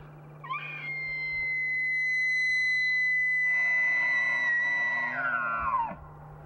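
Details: Bull elk bugling in the mating season: a sharp rising onset leaps into a long, high, steady whistle held for about five seconds, then slides downward at the end, with a faint low hum running throughout.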